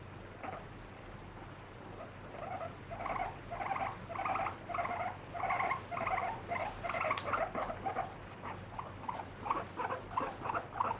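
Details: Pet guinea pig, kept free-roaming indoors, squealing while held and wiped with a wet tissue during a body check: loud, shrill, rapidly repeated squeaks in uneven bursts, growing more insistent toward the end.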